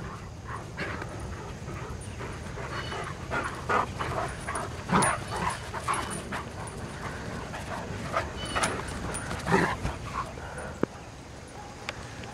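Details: Irish Wolfhound girls, four together, playing during a morning walk: scattered high yips and brief whimpers through the recording, strongest near five and nine seconds, against constant outdoor noise.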